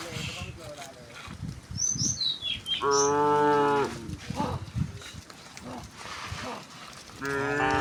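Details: Village cows being herded along a rural road to their pen in the afternoon; a strong, steady harmonic moo mid-clip and another starting at the end, with brief high bird chirps and shuffling hooves.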